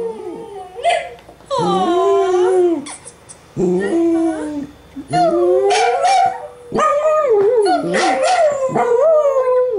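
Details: Two dachshunds, Nana and Trygg, watching dog television; Nana howls in wavering, rising and falling cries broken into separate bouts, with short yips and whimpering notes between them.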